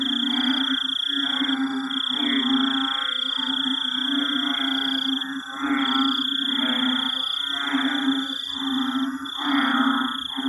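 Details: At night after heavy rain in a Singapore forest, an estimated 30–50 frogs and toads croak in overlapping, pulsing waves over a steady drone of insects, possibly crickets or mantises.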